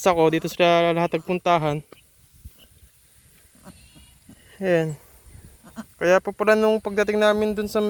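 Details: Young pet goat on a small farm, said to have been bitten by a cobra, gives strongly harmonic bleats about half a second long in clustered bursts separated by quiet pauses, with human voices close by.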